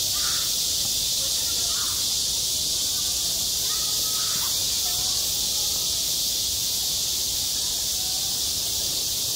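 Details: Cicadas singing in high summer at a school playground, self-recorded: a loud, unbroken, hissing high drone fills the air, with faint short bird calls scattered underneath.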